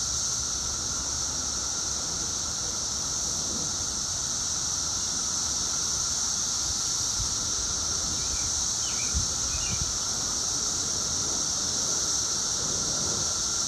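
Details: Loud steady drone of 17-year periodical cicadas two weeks after emergence, audible from inside; a few short bird chirps break through around the ninth second, with faint low knocks beneath.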